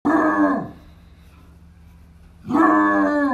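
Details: A 14-year-old female Basset Hound gives two rich, mellow howls separated by a short silence.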